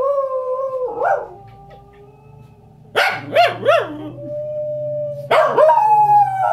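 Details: Corgi. A corgi gives drawn-out, wavering howls that rise and fall in pitch, sung along with wolf howls from a television. Narration and background music from the programme can also be heard.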